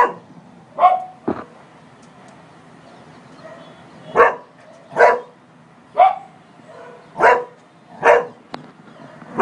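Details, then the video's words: A Cocker Spaniel barks in short, sharp bursts, roughly every second, after seeing a man on a terrace. "Polo - Cocker Spaniel barking"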